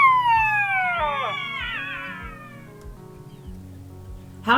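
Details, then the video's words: Black-backed Jackal calling in an early-morning river bed at Mata-Mata rest camp, Kgalagadi, August 2023, while jackals play; a single drawn-out wail slides downward and trails off, with music playing beneath. "Black-backed Jackal calling and playing"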